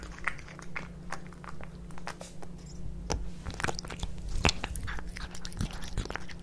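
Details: Two cats, Kitkat and Leo, eat tuna fish wet cat food indoors: soft irregular wet chewing and biting clicks over a low steady hum, with occasional sharper crunches.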